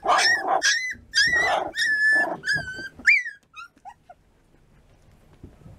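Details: Three-week-old American Bulldog puppies giving a run of high, whining yelps with clear harmonics, several quick cries in the first three seconds, then fading to soft squeaks and quiet.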